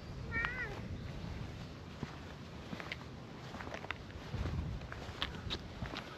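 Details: Brown-and-white stray cat in a park, met again after a long time, flopping over to show its belly; one short harmonic meow, rising then falling, near the start, then footsteps and outdoor rustling.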